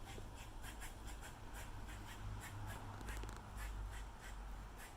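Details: Squirrel giving territorial calls: a steady run of short, harsh, clicking chucks, about four or five each second throughout, over a constant low rumble of background noise.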